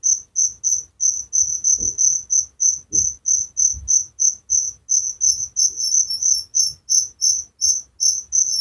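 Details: Crickets singing at night in the countryside: dense high chirps about three per second, two insects overlapping and alternating, with a few soft low thumps in the background.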